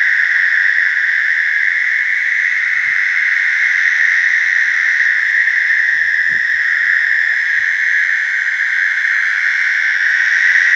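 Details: In a slough, American toads give their mating songs, a long sustained musical trill carried without a break from start to finish, layered voices forming a steady chorus over soft scattered low thumps.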